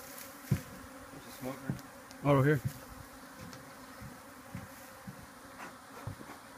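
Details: Africanized honey bees in a hive under a patio deck, Rio Grande Valley, Texas, disturbed during a live removal: a steady, low droning hum of many bees, with a short burst of a man's voice midway and scattered clicks.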